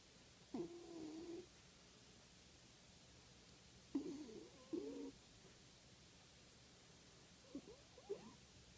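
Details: Sleeping dog snoring: three rough, rasping snores roughly every three to four seconds, with quiet gaps between them and no other clear sounds.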